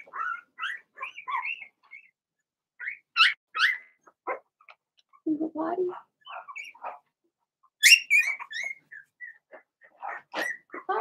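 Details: Young Blenheim Cavalier King Charles Spaniel puppies, Remy's litter, indoors in their pen: uneven bursts of shrill yaps and squeaky whines, some rising, with a brief lower grumbling bark near the middle.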